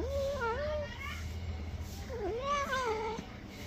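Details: Pet cat being bathed, described as angry, gives two wavering, drawn-out meows that dip and rise in pitch, separated by a pause, over a low room hum and faint background voices.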